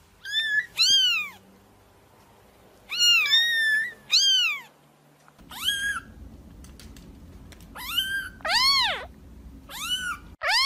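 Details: Kitten calling to make cats come out: clusters of two or three bright, arching meows separated by short pauses, the later ones louder, over a soft low-pitched hum.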